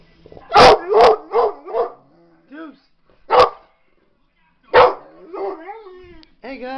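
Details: Pet pit bull indoors barking at a dog on television: four sharp, quick barks within the first two seconds, then single barks near 3.4 and 4.8 seconds, with whiny tonal sounds and a person's voice between them.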